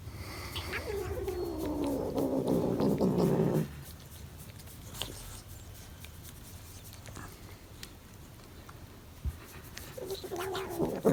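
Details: Domestic cat giving an odd sound as its back is scratched: one drawn-out, moaning call falling in pitch over about three seconds, then quiet rustling, and a brief renewed call at the end.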